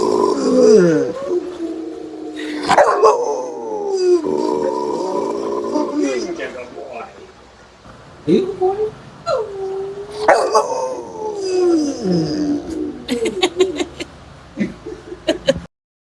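A Rottweiler howls in long, wavering tones that slide up and then sag downward.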